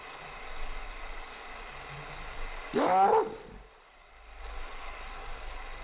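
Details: Chihuahua barking in reaction to helicopters, a single wavering, howl-like bark around the middle, set against a persistent low hum and soft background noise.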